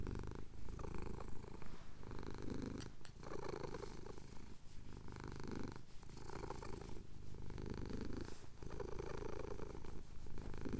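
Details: Male cat purring steadily while having his chin scratched at sunrise over the Cotswold hills, captured on a Tascam DR-07X; low rumbling purr pulses in even breath cycles about every one and a half seconds, inhale and exhale alternating.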